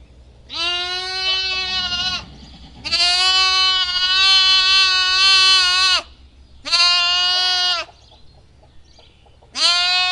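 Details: A lamb bleats loudly in long, quavering, nasal cries, repeated with short pauses between.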